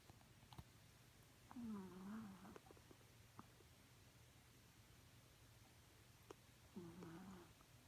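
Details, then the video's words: A chihuahua asleep and snoring indoors: two soft, wavering nasal whistles, each about a second long and roughly five seconds apart, above a low steady hum with faint clicks. "the chihuahua snores"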